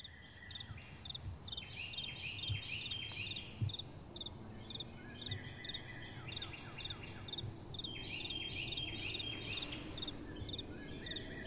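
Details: Crickets calling at night amid gentle wind: short pulsed chirps near the upper-middle range repeat steadily, mixed with sliding, twittering notes, over a low wind rumble.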